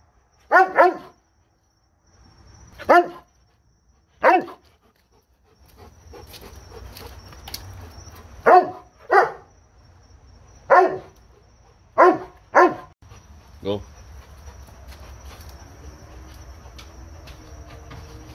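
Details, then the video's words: Spartan, a Doberman, barking in single deep, loud woofs spaced one to two seconds apart, sometimes doubled, with a low background hum and a soft whine near the end. "Doberman dog Barking"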